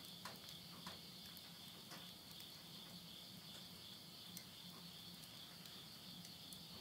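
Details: Countryside insects near Yurihama, Tottori, Japan, heard at midnight in September 2020 as summer ends: continuous bright, buzzy chirring held at one high pitch, broken by intermittent crackles from a wood stove fire and a low steady hum.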